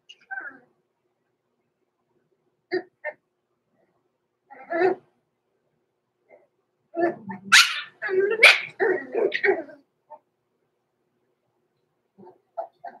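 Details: Six-week-old blenheim Cavalier King Charles Spaniel puppies, Roman and Blue, born November 14, 2022, in an indoor puppy pen overnight. Scattered short yips, then a busy burst of overlapping barks and whimpers midway, with quiet gaps between.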